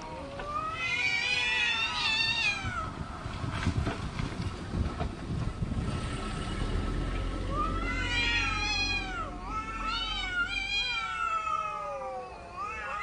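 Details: Cats arguing, with long wavering meows that rise and fall in overlapping bursts, loud and drawn-out at first, then a pause with rustling before another round of quavering, harmonic-rich cries near the end.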